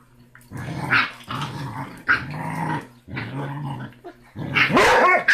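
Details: Rocky, a six-week-old basset hound puppy, smallest yet toughest of his litter, squaring up to his big brother, mother and siblings; a run of drawn-out rasping growls, about one a second, ending in a louder squealing yelp-bark.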